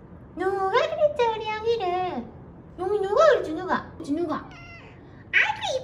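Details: Fading kittens found leaning on each other after a family funeral, now rescued. A few loud, wavering meows rise and fall in pitch, some stretched for nearly a second, with talking voices close by.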